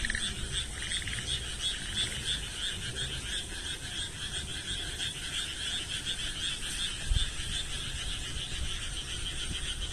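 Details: Frogs in chorus: a dense, continuous wall of high, rapid trilling calls from many animals at once, with soft low rumbling beneath.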